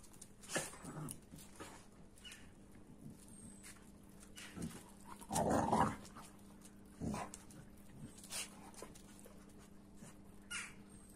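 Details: An American Staffordshire Terrier and a Kuvasz in rough play. Faint scuffles and short thumps are followed by a loud, rasping growl burst lasting about half a second midway, then scattered softer huffs and growls. A steady low hum sits underneath.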